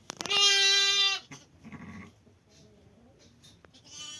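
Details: Sheep bleating around lambing time on 5 January: one loud, steady, harmonic-rich bleat lasting about a second, followed by quieter scattered bleats, rustling and faint background noise.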